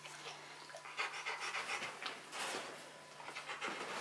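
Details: Bruno, a Rottweiler, breathing hard during a box maze challenge he keeps at until he gets the prize; short, hissy pants come fast and unevenly, about three or four a second, over a low constant hum.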